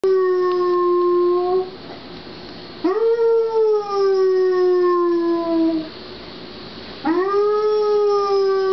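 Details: Sadie, a pet Basset Hound, howling at home after her owner left the house; three long mournful howls, each opening with a quick rise then sliding slowly downward, separated by brief pauses.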